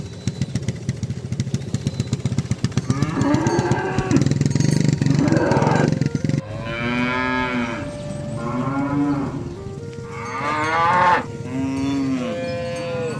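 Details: Cows and an ox roaming in a field give long, deep moos that rise and fall, calling companions to come home to the pen as a cowherd herds them.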